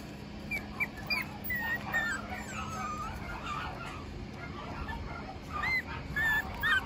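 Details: Young male puppy with a distinctively patterned coat, offered for sale, gives thin high whimpers: short sliding squeaks in scattered bursts, quieter in the middle and busier toward the end, over a steady low hum.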